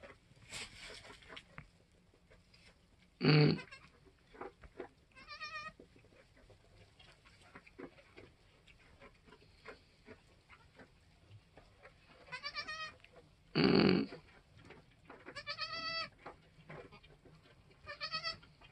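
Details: Goats on a homestead: the doe Queen and her newborn doeling and buckling, an hour or two after birth. Two loud, harsh bleats stand out, with several thinner, higher, wavering bleats between them, and light rustling behind.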